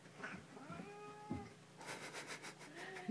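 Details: A domestic cat in a home with two border collie mixes, showing the dogs who is in charge; a drawn-out wavering meow that rises then falls, then a noisy rustling burst and a short second cry at the end.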